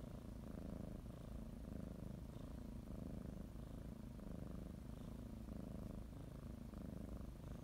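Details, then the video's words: Female domestic cat purring as she kneads a blanket before a morning nap; deep, buzzing rumble in regular pulses, each breath cycle lasting roughly a second, heard close up indoors. "Sometimes you just need to listen to a kitty purr"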